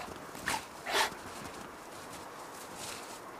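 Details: Giant Schnauzer Alba of Heart enjoying a winter walk: two short, sharp barks about half a second apart, then quiet outdoor ambience with faint footsteps.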